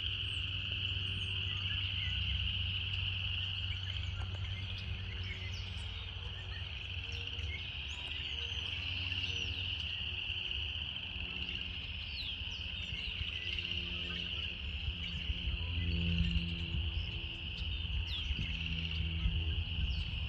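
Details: Chorus of cicadas in nature, a continuous shrill buzz at constant pitch running the whole length, over a low rumble with occasional brief high bird-like chirps scattered across it.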